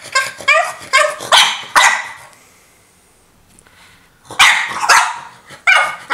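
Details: Wanting her toy, a female French Bulldog lets out a quick run of high, yappy barks, falls silent for about two seconds, then resumes with several more insistent barks.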